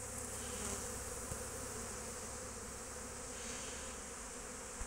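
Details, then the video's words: Dense, unbroken humming of honey bees foraging at an apiary on 12 March 2024, steady in loudness, with a single faint tap partway through. "Api in Raccolto"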